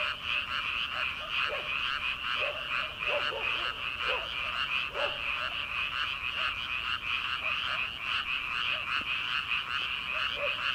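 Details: Night chorus of frogs in paddy fields at the start of summer, before rice transplanting: dense rhythmic croaking throughout, with bursts of lower, twangy calls bunched in the first half.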